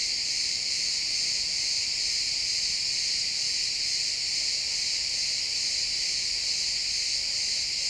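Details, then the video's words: Chirping crickets in pine woods at sunset, a loud, constant, ringing high trill with no pauses and a quiet woodland background. "Cricket sounds in the pine forest"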